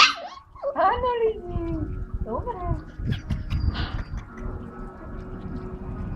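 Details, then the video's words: Belgian Malinois puppies, four weeks old, recorded 17 April 2014: high whiny yelps and whimpers that bend downward, clustered in the first two seconds, followed by scuffling and rustling noise. "4 týžd šteniatka 17 4 2014 BELGIAN MALINOIS"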